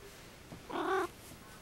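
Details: A sleeping pet cat snoring, one short nasal honking breath of about a third of a second with a layered harmonic tone, in a quiet room.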